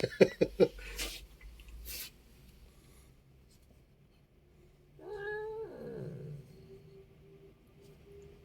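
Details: A startled pet cat indoors, still grumbling during play: several loud thumps, a quiet stretch, then one low yowl that slides downward, trailing into a faint lingering moan.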